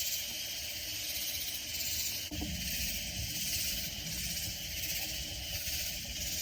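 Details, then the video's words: Near San Antonio in the Texas Hill Country, loud katydids create an unbroken, raspy high chorus with slow rhythmic swells, interrupted once by a brief low click partway through. "Sounds of Loud Katydid Insects"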